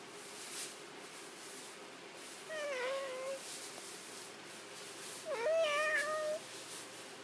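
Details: Ocean, a domestic cat, meows on seeing her companion Doby come in: two drawn-out, harmonic meows, the second louder and slightly rising then falling, set against a steady indoor hum.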